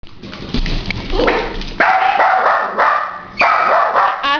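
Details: A three-legged dachshund, hopping about with one leg in a cast, barks at a plumber downstairs: a few sharp, ringing barks in quick, loud, abrupt bursts.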